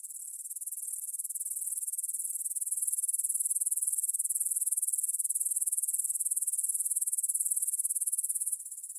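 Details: Meadow grasshoppers near the Svensky monastery, Bryansk, Russia, chirring at 9pm on 6 September 2020, Tascam DR-44WL: continuous shrill, finely pulsed buzzing that builds gradually, stays even, and falls quieter abruptly near the end.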